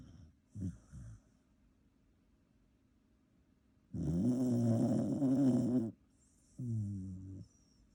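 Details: A Shiba Inu sleeping in bed beside people snores with short soft snorts and then a long, rumbling, buzzy snore.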